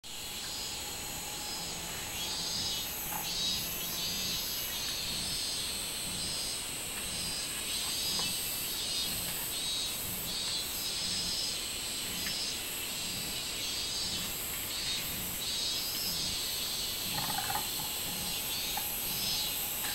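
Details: Robust cicada (minminzemi) song recorded on 24 July 2016: a steady high buzzing drone with rhythmic pulsed bursts repeating about once per second, several callers overlapping, with faint low background noise.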